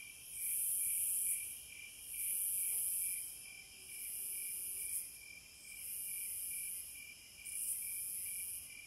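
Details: Wild cicadas sing in regular surges. A bright, sizzling buzz rises and falls five times, roughly every one and a half seconds, above a constant thin insect whine.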